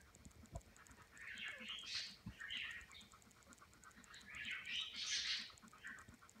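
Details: English Springer Spaniel puppies, hours old on day 1 (June 10, 2016), give thin, shrill, squeaky whimpers in scattered, uneven bursts that rise and fall quickly, with soft rustling and faint low thumps between.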